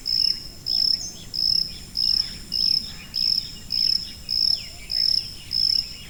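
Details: A cricket sounds sharp, shrill chirps at an even pace, close to ten in six seconds, every pulse short and clean against near silence.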